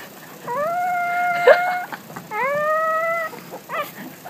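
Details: Baby dog learning to howl: two level howls, each opening with a short rising slide, with soft rustling and a brief click between them.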